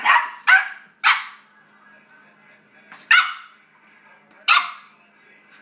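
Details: A 4-month-old Yorkie barking at other dogs heard through a computer; a rapid run of three shrill yaps, then single sharp barks spaced one to two seconds apart in a quiet room.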